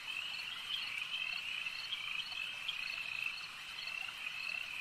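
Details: Frogs at a lake: a dense, unbroken chorus of high, shrill trilling calls merging into one steady ringing band, with faint individual pulses rising above it.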